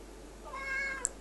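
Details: Male Ocicat indoors at home, with two other cats nearby, 'talking' to his owner after warming his paws on file folders; one soft, drawn-out meow with a gently rising then level tone, followed by a faint click.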